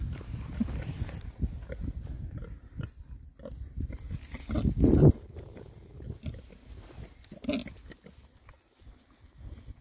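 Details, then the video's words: Six rare-breed Oxford Sandy and Black boar pigs foraging happily in winter between storms; low snuffling grunts and oinks throughout, with one louder burst of grunting around the middle, over rustling and rooting noises. "rare breed Oxford Sandy and Black, happy pigs, winter forage. 6 boys. ASMR oinks."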